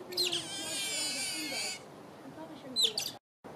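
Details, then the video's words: Begging Asian small-clawed otter giving a sustained high whining squeal, followed by quieter chirps and one sharp squeak near the end. "Asian short clawed otter vocalisations / begging"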